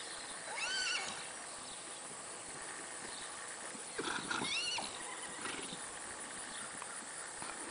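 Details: Three-month-old Friesian colt running, giving a high, quavering whinny that falls in pitch, first near the start and again around the middle, over a steady background hiss.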